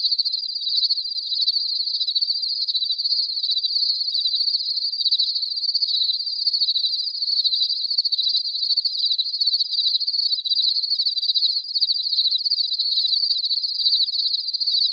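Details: Cricket chirping ambience, clean and free of other noise: an unbroken, even chorus of high, rapidly pulsing trills holding at a constant loudness throughout.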